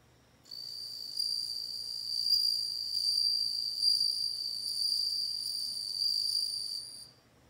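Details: Singing bell cricket, a continuous bright, high-pitched ringing tone with a fainter upper harmonic, running for about six seconds with slight pulsing swells before ending sharply.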